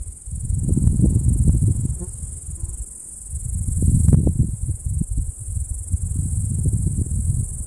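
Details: Summer meadow cicadas produce a steady piercing drone that never pauses, nearly buried under strong, rolling wind rumble and gusty thumps across the whole stretch.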